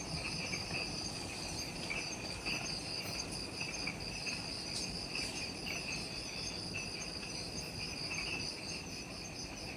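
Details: Twilight insect chorus in Ishigaki Island's jungle, Okinawa, Japan, recorded just after sunset; several continuous shrill trills at different pitches overlap, with faint brief ticks and a soft rumbling forest background.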